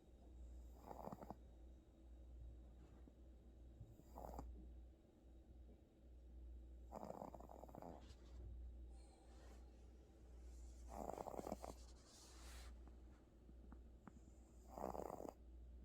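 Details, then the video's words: Pet cat named Gucci snoring in sleep, worn out after a visit to the animal hospital; rough, breathy snores swell and fade about every three to four seconds over a steady low indoor hum. "고양이 코골이 전문가"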